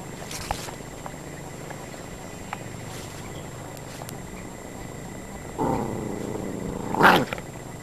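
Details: Norfolk terriers, the adult Becky with puppies Gin and Garbo, in a pack; two short harmonic barks or yelps near the end, the last one louder, over a steady background hiss with faint clicks.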